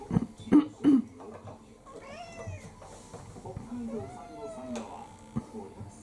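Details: Indoor mixed-breed orange tabby Kurumi, roughly four, pestering for her evening meal in a Japanese household: a few drawn-out, bending meows follow sharp thumps and clinks, while a woman speaks softly in the background.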